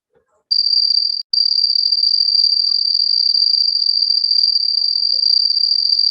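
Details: A cricket with a strikingly intense sound, compared to one inside a house: a high, piercing, sustained trill starts after a short silence, breaks for an instant, then continues unbroken.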